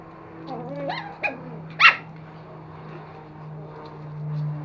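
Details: Two young toy Pomeranian puppies, a male and a female, playing and fighting indoors in Kathmandu, Nepal; a few short rising whines and yelps, then one sharp yip, over a steady low hum, with a person talking.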